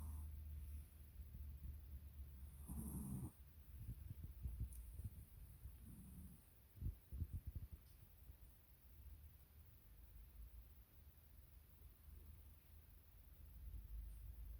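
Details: Dachshund asleep and snoring, giving low rumbling inhalations with a sharper snort near three seconds and a gruff burst around seven, then quieter, rhythmic breathing against a light background hiss.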